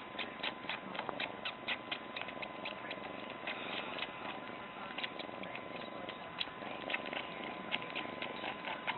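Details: A pet cat sucking on a woman's chin, giving soft, rapid wet clicks and smacks, roughly four a second, irregularly spaced, over a steady background hiss.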